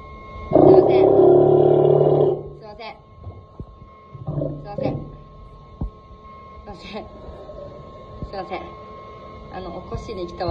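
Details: Tetsuko, a one-year-old Steller sea lion at Ise Sea Paradise aquarium in Japan, gives one long, loud, harmonic roar lasting about two seconds, followed by quieter short grunts and scattered knocks and clicks.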